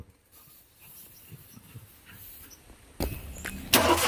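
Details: Quiet outdoor ambience with faint ticks gives way to two loud bursts of engine-like noise near the end; no animal voice.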